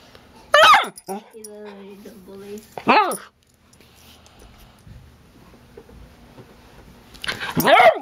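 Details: Charlie the hyper puppy barks sharply, whines in a drawn-out tone, barks again, then after a quiet stretch barks once more; a person's voice is heard in the small room.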